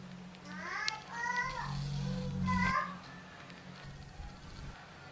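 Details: Two arched meows from Yupi, the pet cat known as Kluwuk, over a low humming background with faint clatter, then a quieter tail with soft knocks.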